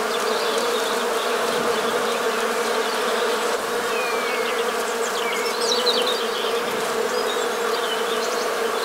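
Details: Honey bee buzz recorded in the Morbihan countryside of Brittany, France, on New Year's Day 2022, midwinter: an unbroken, many-insect droning hum, even in loudness, with a few faint high sliding whistles over the top.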